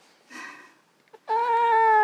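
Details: Russian Blue cat fighting a claw clipping indoors: a soft breathy sound, then a loud steady meow held without a break to the end, slightly falling in pitch.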